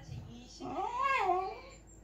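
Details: Three-year-old pet Pembroke Welsh Corgi indoors, vocalizing at its owner for attention after a rainy walk and being toweled dry; a single drawn-out, wavering, whine-like yowl that rises then falls, with faint room noise.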